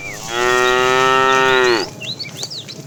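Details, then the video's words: Tame cow from a herd being driven in the afternoon, calling the female, lets out a loud, level, buzzy moo of about one and a half seconds that falls at its close, followed by chirping birds and a brief voice. "The funny sound of a fat cow calling the female"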